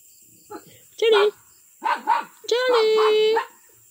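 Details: Miniature pinscher named Charlie vocalising: short yelps, then a long, steady, drawn-out whining howl held for about a second, with a person speaking and calling to the dog in Filipino.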